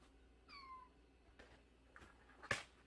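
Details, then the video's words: Unweaned kitten less than a month old, taken in after crying at the front gate, utters one short falling meow indoors, followed by faint rustling and a sharp click while a person talks softly nearby. "대문앞에서 울고 있었다는젖먹이 아기고양이"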